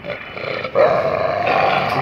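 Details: Arguing street dogs at a home: a deep, sustained snarling growl that swells suddenly and holds rough and steady for over a second, heard close up.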